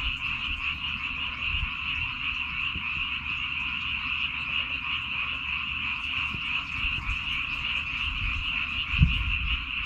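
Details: A dense chorus of frogs croaks and trills without pause from a rice paddy on Baengnyeongdo Island.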